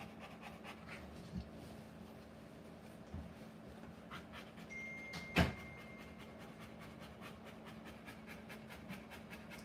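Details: Rottweiler giving birth to puppies, panting steadily: quick, soft breathy pants about four per second under a constant low hum, broken once midway by a sharp click.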